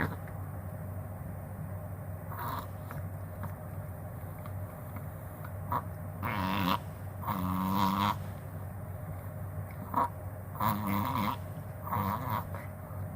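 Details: Hatabou, a pet Chihuahua, having a reverse sneeze episode that a vet identified: bursts of harsh snorting, honking breaths come in clusters, around the third second, between six and eight seconds, and again from ten to twelve.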